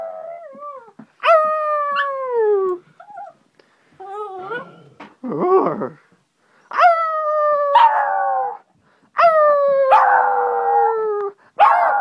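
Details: A Shih Tzu puppy greets its owner returning home, howling in long, wavering notes that slide downward, broken by short yips and whimpers.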